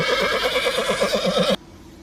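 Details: Horse whinnying, a shaky, quavering neigh with rapid pulsing wobble held for about a second and a half before cutting off abruptly; faint background hiss.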